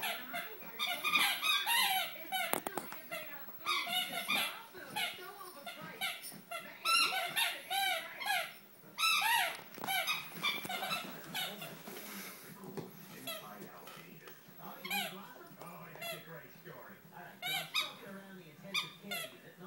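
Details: A female Great Dane puppy, 8 or 9 weeks old, gives high, squeaky whines and yelps in quick, rising-and-falling bursts.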